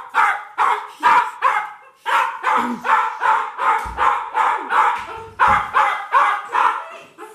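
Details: Excited pet dog barking as its owner returns home, a steady string of loud, bright barks about two or three per second, briefly pausing near the two-second mark, with a few lower whimpering tones underneath.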